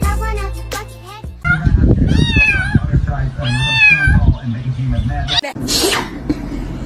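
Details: A house cat lets out two clear, bending meows a second or so apart, over a steady low hum of background music, with people talking and a sharp noise near the end.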